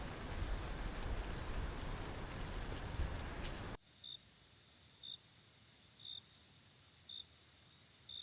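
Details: Grasshopper chirping: short high pulses repeat about once a second over loud broadband outdoor noise. Midway the background drops sharply to a quieter steady hiss while the chirps continue.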